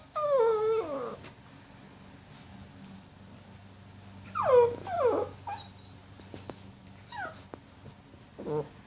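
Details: Jill the puppy whimpers before falling asleep: high, falling whines in brief bursts separated by pauses, with a faint low grumble, indoors with a soft background hum.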